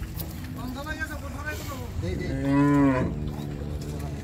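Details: Cattle unloading in Bangladesh; a long, steady low moo swells and fades, preceded by fainter moos, over a continuous rumble of engines and background noise.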